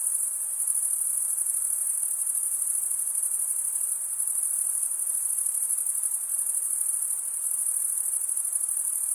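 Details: Male crickets stridulating, wing drawn over the serrated vein of the opposite wing: an unbroken shrill, high trill with a rapid shimmering pulse, steady in loudness, nothing else audible.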